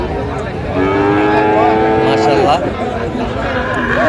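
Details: Cattle at a sale of Friesian and crossbred bull calves at Raniganj market, Dinajpur, on 15 January 2025: one drawn-out, tonal moo lasting nearly two seconds, steady and then falling at its end, over crowd chatter and general market noise.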